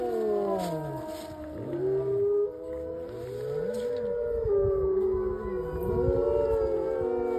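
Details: Several gray wolves at the Lakota Wolf Preserve howl together on March 5, 2023, their long sliding tones overlapping in a wavering chorus; a fire siren going up apparently set them off.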